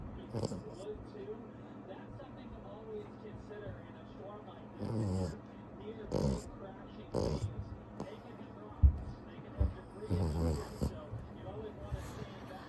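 A French Bulldog snores in low, rumbling, irregular breaths.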